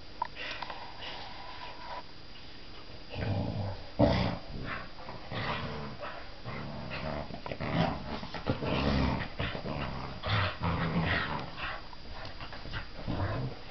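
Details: Playful growling from two young Clumber Spaniel pups aged eight and three months, as rough low rumbles and gruff bursts repeat through the middle stretch, with scuffles, knocks and a few sharper yips.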